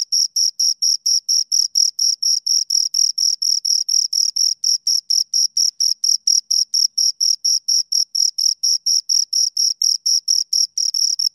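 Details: Pair of crickets giving an even run of high-pitched chirps, roughly two per second, each a short rasping pulse with a faint higher overtone, against complete quiet.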